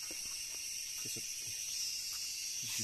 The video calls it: Cicada sound and look